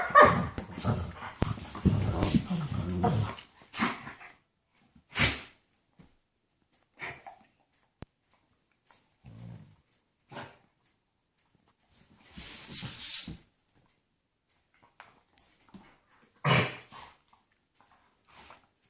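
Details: German shepherds making wild noises while playing: a dense, rough burst of growling and grumbling for the first few seconds, then scattered short huffs, snorts and noisy scuffling bursts separated by quiet gaps.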